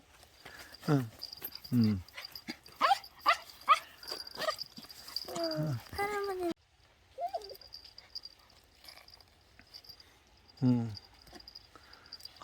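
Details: Gureum, a young dog given away to an acquaintance after two months in an apartment, greeting its former family on a visit a month later; a burst of rapid, wavering whimpers and yelps, then quieter, with one last yelp near the end and voices nearby.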